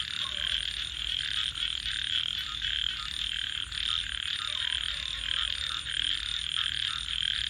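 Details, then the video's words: Many frogs calling together after dark by a campfire, producing a continuous high, grating trill chorus with faint ticking crackles above and quiet low tones below. "Crackling Fire 🔥 and frogs 🐸 Sounds"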